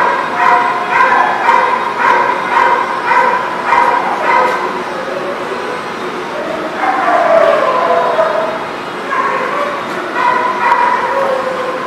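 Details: Dogs barking in a steady, overlapping chorus of rough, mid-pitched barks, a few per second, with a pause near the middle before the barking resumes; a constant background hum underneath.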